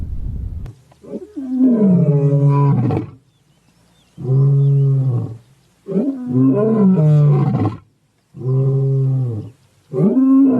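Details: Zoo lion delivering long, drawn-out, moaning roars with rich harmonics, each lasting one to two seconds, separated by brief pauses, with a rising, strained onset on several.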